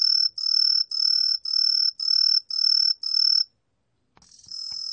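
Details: Truljalia tree cricket, recorded for Korea's National Institute of Biological Resources in 2020, sounding seven evenly spaced high, pure chirps about half a second long, then a short silence before a new trill begins.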